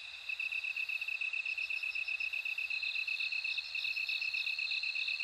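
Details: Bell cricket song in a night-insect chorus: rapid, regular high pulses start after a short pause, and a ringing, higher trill rises and strengthens partway through.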